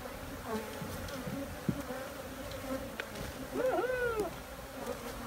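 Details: Honey bees humming in a steady, low drone with a higher overtone held throughout; a brief voice-like sliding sound rises and falls near the middle.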